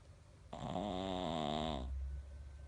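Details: A Pekingese snores loudly, one long, buzzy, rattling breath lasting over a second.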